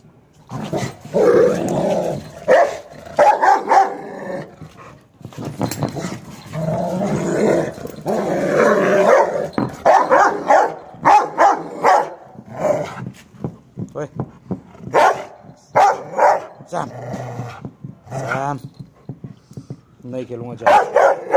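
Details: Rottweiler named Sam, tied up and going mad: deep, loud barks in rapid irregular bursts, mixed with drawn-out throaty growling stretches, then shorter sharp barks toward the end.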